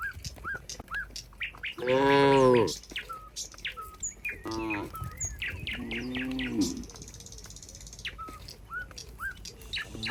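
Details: Cows in a barn while a cowherd approaches: one loud, short moo followed by two softer, lower moos, set against constant busy chirping of small birds throughout.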